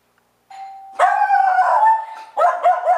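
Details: Rudy, a dog, barks anxiously, cued by the doorbell indoors: a steady electronic doorbell tone sounds first, then a burst of loud, harsh barks follows, pauses briefly, and resumes with quick repeated yaps.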